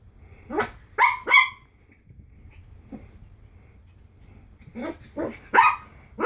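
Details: Small Pomeranian puppy scared of a Slinky, yapping in quick high-pitched barks: a pair early on, a quiet gap, then a rapid run of four more barks.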